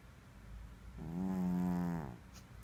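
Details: Munky, a pet cat, snoring: one drawn-out, low, nasal snore about a second long, holding a steady pitch with a buzzy edge, then fading into a quiet room.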